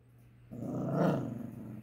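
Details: A Great Dane growling low and rough, swelling over about a second and then fading, with a steady low hum in the background and a person encouraging the dog just afterward.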